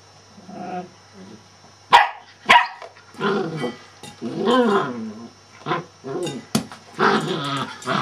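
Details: Male Shetland Sheepdog barking in short, irregular bursts mixed with growly vocal sounds; two sharp clicks or knocks come early on, and the barks grow louder and denser toward the end.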